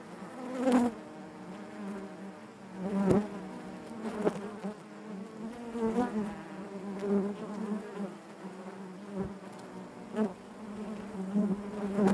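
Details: Buzzing of honey bees inside the hive, a persistent low drone with layered harmonics, punctuated by repeated sharp taps and clicks every few seconds.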